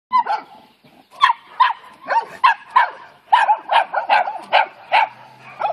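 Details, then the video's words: Dogs barking repeatedly at a Newfoundland dog that stays calm: a series of sharp, mid-pitched yapping barks, roughly two or three per second in bursts, with a person's voice briefly at the end. "Capy vs Barking Dogs"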